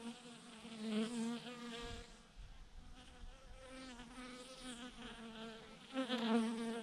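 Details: Buzzing of a huge honey bee swarm clustered on a branch: a quiet, layered drone that swells and fades, rising louder toward the end, with faint low rustling beneath.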